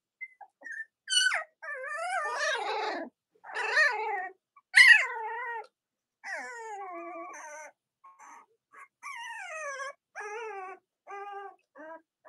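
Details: Young Cavalier King Charles Spaniel puppies from Robin's and Myra's litters crying with wavering, falling whines and a few sharp squeals, the calls coming in separate bursts over about twelve seconds.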